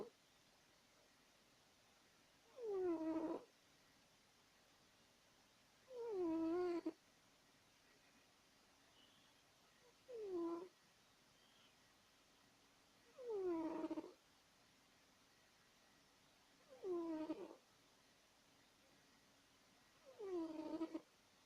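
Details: Domestic cat snoring while asleep, six harmonic, wheezy breaths sliding downward in pitch, roughly every three to four seconds, some shorter and softer, over a steady low hiss.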